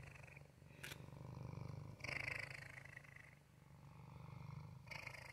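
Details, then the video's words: Male house cat purring: a steady, low, rumbling pulse that swells and fades with each breath, a short faint rasp near the start and soft hiss in the background. "Waffle's purr"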